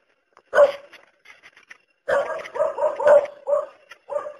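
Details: Dog barking: one sharp bark, a short lull, then a quick run of several barks tumbling together before a final bark.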